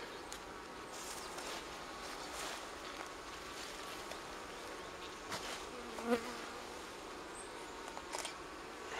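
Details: Wild honey bees near Kiev, Ukraine, their forest nest on a fallen tree being transferred into a hive at an apiary; a broad, even drone of many insects throughout, with scattered clicks and knocks.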